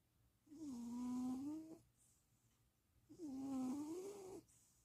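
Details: Napping cat Stevie in Austin, Texas, 2026.04.07: two long snoring breaths, each a droning, whistle-tinged tone that dips then rises at its end, separated by a hushed gap indoors.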